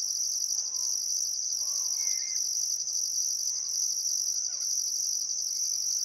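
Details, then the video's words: Crickets by the Barcoo River, Welford National Park, Australia, on a calm summer evening at sunset: a dense high-pitched trilling band, pulsing steadily, with a few faint bird whistles and short slurred notes in the background. "Australian Sunset Chirping Crickets"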